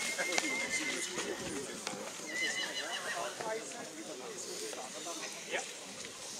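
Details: Schwarzwälder Kaltblut (Black Forest draught horse) mare Mara MR, by Rubiniero out of Milka S, shown at the Rossfest Zukunftspreis in St. Märgen on 10 September 2022; thin high whinnies near the start and midway, over steady crowd chatter.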